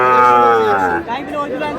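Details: Sahiwal bull at a crowded Bangladeshi cattle market on 14 February 2026, bought by a Narayanganj farmer. A deep, steady, one-second bellowing moo that fades into traders' talk and price haggling.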